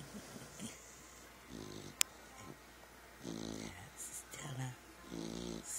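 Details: Sleeping puppies snoring indoors: low, rough, harmonic snores in slow breaths around 1.5, 3.5 and 5.5 seconds, with a sharp click near 2 seconds, faint hiss and a person speaking softly between breaths.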